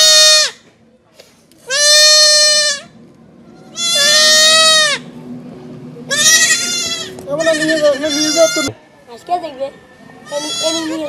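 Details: Goat kid being castrated: loud, strained bleats with a wavering, nasal tone, about six calls over eleven seconds, some rising and falling in pitch, with quieter handling noise and a faint hum between cries.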